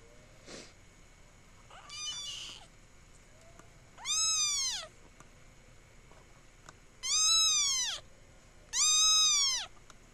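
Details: A kitten named Dante gives four meows over ten seconds, the first soft and breathy, the later ones loud, clear and rising then falling in pitch.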